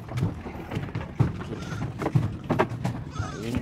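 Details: Goats being shipped by sea vessel from Medang Island to Sumbawa Island, West Nusa Tenggara; a few wavering, quavering bleats rise late over a steady low engine rumble, with people talking nearby.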